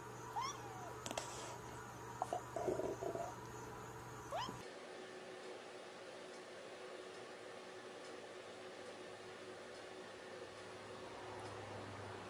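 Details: Domestic cat giving a few short, arching meows in the first four seconds, each tone bending up then down, followed by a steady low hum and faint indoor background noise with no further calls.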